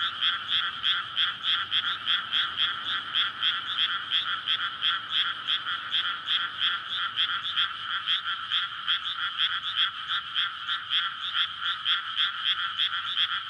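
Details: Frogs in a dense night chorus from a flooded rice paddy in May, calling to court before egg-laying; rapid overlapping croaks, roughly three per second, merge into a loud continuous rattling din with no other clear sounds.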